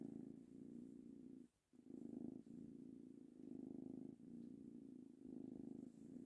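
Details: Male kitten, three months old, purring contentedly as he is petted; low throbbing purr in rhythmic phases about a second long, with one brief pause near the middle.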